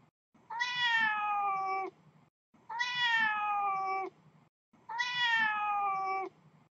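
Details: Three evenly spaced meows from kitten Snow, a male outdoors by the house. Each is a sustained, rich-toned cry lasting over a second, steady at first and then dipping a little at the end, over quiet background rustle.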